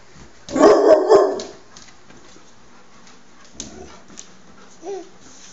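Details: Dog barking near a four-month-old baby: two loud, harsh barks in quick succession, then a quiet room with a few faint knocks and a short voiced sound.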